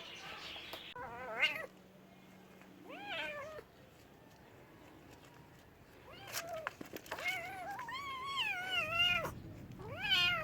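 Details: Domestic cats meowing in a compilation: several harmonic meows, some short and rising, others long and wavering, including a drawn-out meow near the end, with faint background noise between calls.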